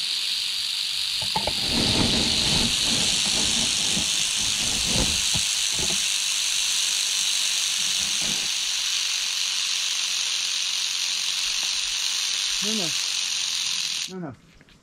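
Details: Canebrake rattlesnake (timber rattlesnake) found on a dirt road in North America at the end of herping season, 81 degrees. It gives a steady, hissing high buzz of rattling throughout, with low voices and handling noises early on.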